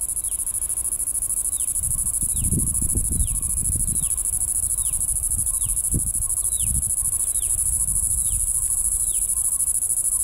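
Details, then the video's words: Cicada with a red nose, Bengaluru, natural habitat. A continuous shrill, high hum runs the whole length, overlaid by quick downward-sliding chirps repeating roughly twice a second. Low rumbling handling noise bursts in the middle. "Red Nosed cicada ,Bengaluru"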